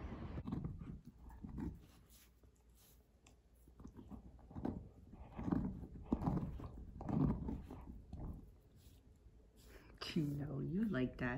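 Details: Siberian Husky puppy reacting to a leaf blower after a snowy spell, giving low, throaty grumbles in uneven bursts, ending in a rising, wavering howl-like whine, with a person talking nearby.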